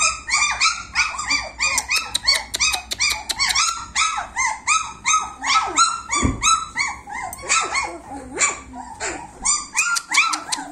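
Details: A litter of 26-day-old German Shepherd puppies keeps up a dense, continuous chorus of short rising-and-falling whines and yips, many voices overlapping, with scattered sharp clicks throughout.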